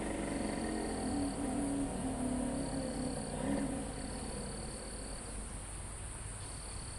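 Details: Live recording of crickets on a forested mountainside near the summit: a high, even trill switches on and off in bursts of about a second above a constant insect hum, with soft low tones and wind in the trees.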